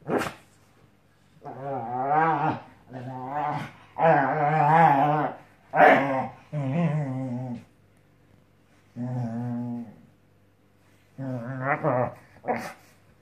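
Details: Scottish Terrier playing on a new mattress indoors, producing long groaning growls and moaning whines in separate bursts of one to two seconds, with pauses between, in a small quiet room.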